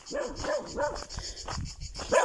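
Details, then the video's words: A little black male Cocker Spaniel, wagging his tail, gives a string of short, high, yappy barks near a person on a hot August countryside walk in Tuscany, Italy. "Hello! Oh, it's a little black Cocker Spaniel wagging his tail and barking."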